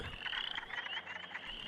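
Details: A male western chorus frog, about half an inch to an inch long, calling in a spring vernal pond with his inflated throat, gives a high, creaky, rising trill, like a thumbnail drawn along a comb's teeth.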